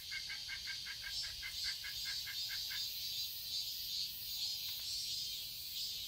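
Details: A garden in Seoul, Korea, on a summer day: cicadas give a constant high buzzing drone. Over the first three seconds a rapid run of about a dozen short repeated chirps sounds against it.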